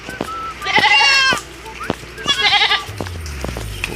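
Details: Anglo-Nubian goats feeding on live grass at a highway roadside in the Philippines in the hot season: two loud, wavering, nasal bleats about half a second long, with background road noise and a man talking.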